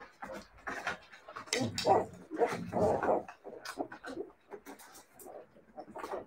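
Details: Siberian Husky puppies making short whimpers and yelps, loudest in a cluster of bursts near the middle, then fading to scattered soft squeaks and panting-like noises, with faint voices in the background.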